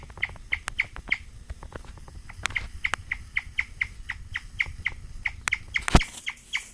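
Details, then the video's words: An excited female guinea pig, eating wheatgrass for the first time, chirps in a steady, birdlike run of short high notes, several each second, a sound guinea pigs make when very excited. "Gretta the guinea pig chirping like a bird."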